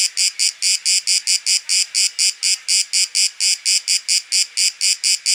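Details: Field recording of a cicada in Athens, Greece, during September 2023; a bright, rasping, high-pitched buzz broken into distinct rhythmic pulses just over two per second, steady and alone.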